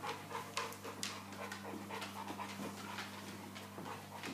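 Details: Heavy, rapid, breathy panting comes from a Boerboel bitch named Soko in labour with her first litter, restless and contracting from time to time. A constant low electrical-sounding hum runs underneath.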